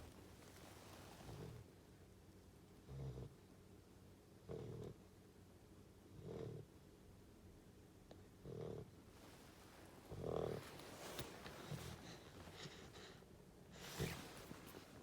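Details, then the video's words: Goldendoodle puppy, female, sleeping on a lap and snoring for the first time: soft, low snuffling snores repeat about every one and a half to two seconds, followed later by rustling and handling noise. "My golden doodle puppy snoring"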